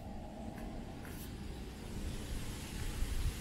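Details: Steady low rumble of passing vehicle traffic under a wash of broadband outdoor noise, with no animal voice.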